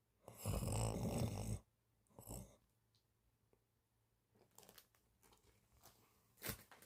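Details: Cat snoring during a daytime nap: one loud, rough, low snore lasting over a second, a shorter snort soon after, then faint breathing and small clicks.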